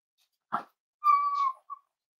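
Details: Cavalier King Charles Spaniel puppy indoors during a livestream from a home raising emotional support dogs; a short huff, then a clear high whistled whine held about half a second, ending in a brief squeak.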